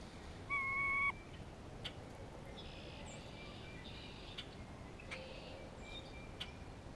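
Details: Grey squirrel in spring, calling in response to a hawk nearby: one short, steady, tonal moan lasting about half a second, followed by faint scattered chirps and clicks in a quiet outdoor background.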